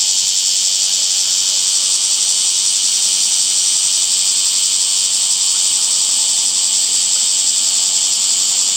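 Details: Cicadas calling in summer among green trees, a steady unbroken high-pitched buzzing drone that holds level throughout with no other sounds.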